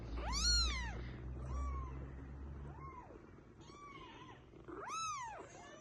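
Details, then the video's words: Baby kittens meowing, asking their mother to pick them up: about five high, arched meows that rise then fall, the first and last loudest and fullest, the middle ones thinner, over a low steady hum. "Little Baby kitten Asking Mama to Pick them up|🤣🤣||Meow Meow"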